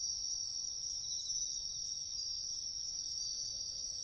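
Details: Wild bell cricket song in woods along a riverbank, a continuous shrill high ringing band that never pauses, over soft low outdoor noise.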